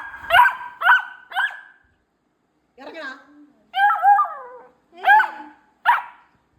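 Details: Vancho, a pet beagle, sits on a bean bag and is told to get down and stop biting it. It answers with short, harmonic barks and yelps, three quick ones, then a pause, then longer wavering howl-like cries.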